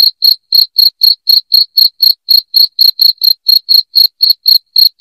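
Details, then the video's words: Piercing cricket song used as a household rat deterrent: evenly spaced, short, high chirps at around four per second, steady and unbroken, with no other sounds. "SUARA JANGKRIK NYARING"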